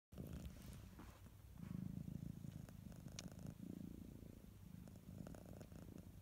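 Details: A domestic cat purring steadily indoors, a low rumbling purr swelling and fading with each breath, with faint clicks and rustles now and then.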